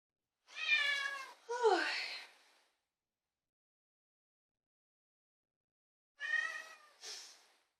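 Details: Talkative female domestic cat meowing: two drawn-out, strongly harmonic meows, the second sliding downward, then a pause of several seconds before two shorter meows close together.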